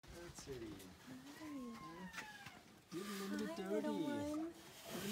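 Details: Hungry rhino calves crying out for milk: wavering, whining tonal cries that bend up and down. Several cries overlap and grow louder in the second half, then break off briefly before resuming.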